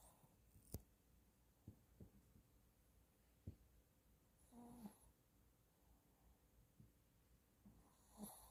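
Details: Sleeping Shih Tzu dog snoring softly in a quiet setting: low, rough snore bursts near 5 and 8 seconds, separated by faint snuffles and small clicks against a very quiet background.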